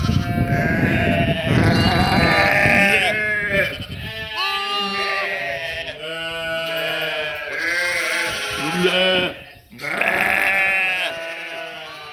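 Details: Sheep and lambs making noise. Overlapping, wavering bleats follow one another with almost no pause, in both high and deeper voices, over rough rustling and scuffling noise early on.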